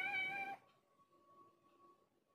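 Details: Tame village cat, once a wild adult, clinging affectionately and coiling around legs like a snake, utters one short bright meow of about half a second, followed by quiet room hum.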